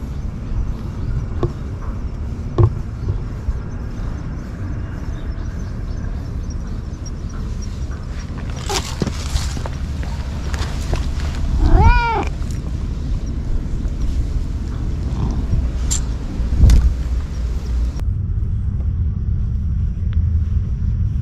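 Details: Stray boss cat living at a lighthouse, looking displeased while someone tries to win it over with a cat grooming brush; one drawn-out, wavering meow with rich harmonics partway through, over steady low wind rumble and scattered clicks and knocks.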